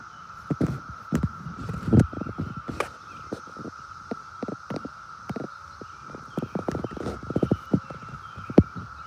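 A cicada drones in one steady, unbroken tone, with scattered knocks and thumps nearby.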